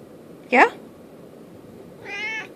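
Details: Domestic cat Merlin asking for his treats: a brief loud human voice comes first, followed by a drawn-out, tonal meow about two seconds later in an otherwise quiet room.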